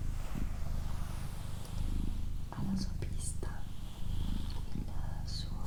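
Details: Doroti, a domestic female cat, purring in a soft low hum beneath close, breathy whispering that takes up much of the short passage.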